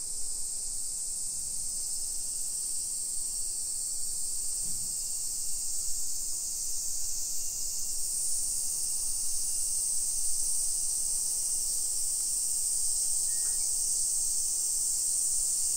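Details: A summer cicada chorus on a residential hillside in Nisshin near Nagoya, Japan, 1 PM, 28 July 2021: constant high sizzling drone, joined about halfway by a second, brighter buzzing layer that carries on to the end.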